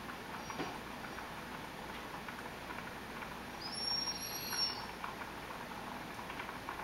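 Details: Male Rhodesian Ridgeback whining as he smells ground beef cooking: a thin, high, drawn-out whine rises briefly past the middle over a steady background hum.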